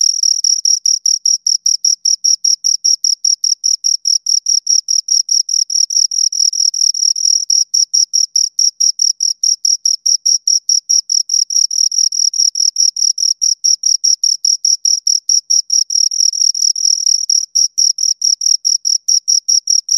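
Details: Continuous chirping from two crickets, a long run of rapid, regular high-pitched pulses that sometimes blur into near-trill stretches, clean and close with nothing else audible.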